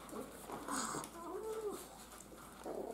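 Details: Miniature Schnauzer puppies, a playful, energetic litter, with one short whine that rises and then falls in a smooth arch, amid soft shuffling and rustling while a person talks to them affectionately.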